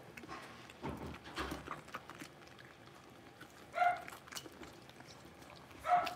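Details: Six-week-old blenheim Cavalier King Charles Spaniel puppies, a litter of five born on New Year's, in an indoor home puppy pen; two short, high yelps about two seconds apart, with soft rustling and shuffling between them.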